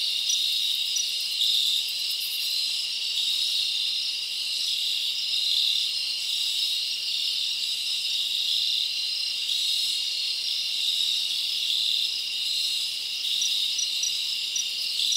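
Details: A dense chorus of crickets trilling steadily at night in summer in a forest, a high shimmering wall of sound with no pause.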